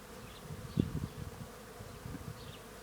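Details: Many bees feeding on tree flowers at a farm make a low, steady hum, with the drone of wings rising and falling as individuals pass close.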